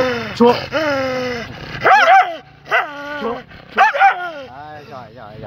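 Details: Large and small Phu Quoc Ridgeback dogs giving loud drawn-out howling whines in several bursts, each wavering and falling in pitch, with brief sharp yelps between and human voices nearby.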